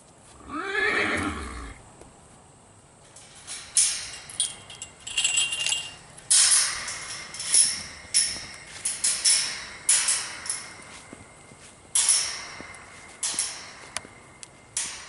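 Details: A mare in heat calls to a young Hanoverian stallion during training with a brief, falling, harmonic whinny near the start. Repeated clattering hoof steps and knocks follow.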